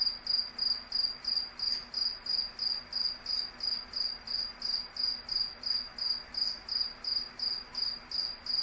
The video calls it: Cricket Chirp sound